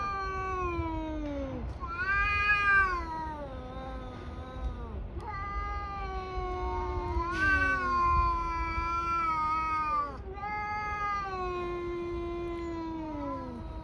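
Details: Two tabby cats in a brawl: long, wavering howls that rise and sag in pitch, one voice overlapping another, rich in harmonics, drawn out over several seconds each with brief breaks between.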